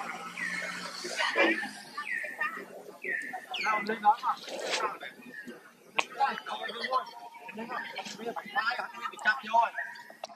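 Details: Hurt baby monkey with a forced companion, trying to pull away; several high, harmonic wailing calls that slide downward, given in short bursts during the first four seconds, then softer scattered squeaks and rustling.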